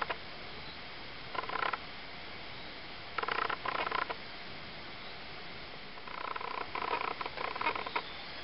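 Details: Litter of four three-week-old Ocicat kittens (black silver, chocolate and tawny females, tawny male) giving rough, pulsing calls with a harmonic ring, in three bursts about a second long at intervals, against a quiet steady hiss.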